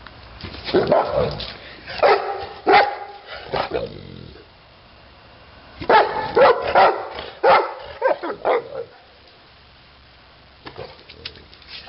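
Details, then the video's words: Neapolitan Mastiff Titti barking in two clusters of loud, harmonic barks, each several barks long, separated by a quiet stretch, with a few faint sounds at the close. "mastino napoletano titti"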